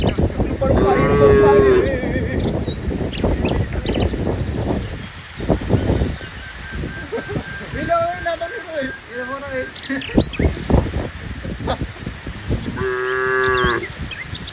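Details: Cows among dozens playing in green rice fields: a short moo near the start and another at the end, with softer lowing between, over a steady rural background with what sounds like human voices.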